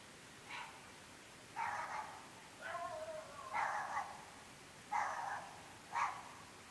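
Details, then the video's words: Dogs barking at 11.30 pm in an extremely remote rural area of the UK, part of incessant nightly barking: six short, harsh barks spread over several seconds, one drawn into a lower, wavering whine, heard at some distance. "Incessantly barking dogs"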